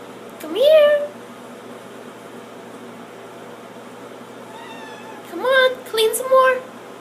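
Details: A female pet cat indoors, cleaning her own litter box on command, gives one clear rising meow, then after a quiet pause a run of three shorter meows, with a person softly praising her in the background.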